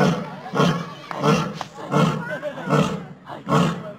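A lion gives deep, throaty grunting roars, repeated steadily less than a second apart.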